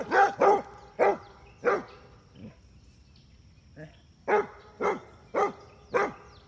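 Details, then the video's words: Basset Hounds at play, the females chasing the male; strings of resonant barks in two bursts separated by a quieter pause with a few softer woofs, roughly a bark every half second. "Basset hound girls chase basset boy!"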